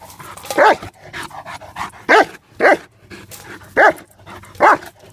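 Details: Mace, a mastiff, barks while playing with the trap: five loud, harsh barks spaced irregularly over five seconds, with softer huffs and rustling between them.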